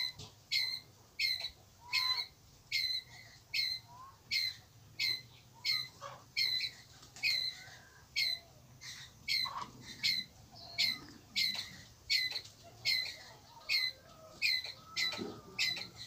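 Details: Pallas's squirrel calling its group: a long run of about twenty harsh, clipped, high-pitched barks, steady at roughly one every three-quarters of a second, with faint low hum beneath.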